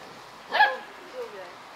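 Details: Djip, a Korthals Griffon dam with her litter on day 56, gives one short, sharp, harmonic-rich bark followed by a softer low sound, with quiet talk nearby.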